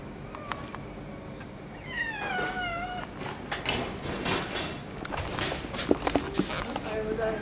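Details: Female white-and-silver-tabby cat, known as the friendliest in the neighbourhood, whose sleeping place a rival cat has moved into. One drawn-out, wavering meow, with a shorter one before it, under a Japanese-speaking person's voice and handling noises.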